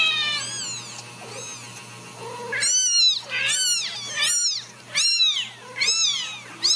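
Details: Several Ragdoll kittens raised indoors at a central Kansas cattery mew loudly and insistently, high thin arching cries overlapping in quick bursts roughly every second, with a low steady hum behind them.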